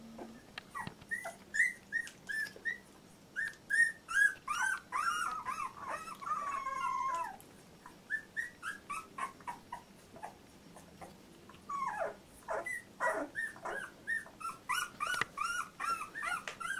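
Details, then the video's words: Labrador Retriever puppy of Litter J, 14 days old, squeaks and whines over and over. The bursts are thin and high-pitched and some bend into longer wavering cries. There is a short quiet stretch midway before the dense squeals resume. "Puppy 14 days old labrador retriever"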